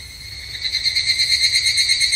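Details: Higurashi, the evening cicada, at a Japanese temple in summer; a loud, rapidly pulsed metallic trill rising in volume after a quiet start, its beats coming about eight times a second over a soft low hum.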